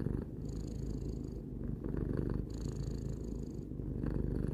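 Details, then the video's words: Close-up purring of Tarou, a three-year-old domestic cat, a continuous throaty rumble alternating between two breath phases, one buzzier and brighter than the other. "Cat purring"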